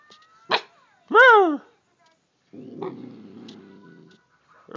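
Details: A female Siberian Husky answers her owner's talking with a sharp yip, a rising-then-falling whine, and a low rumbling grunt, possibly out of annoyance.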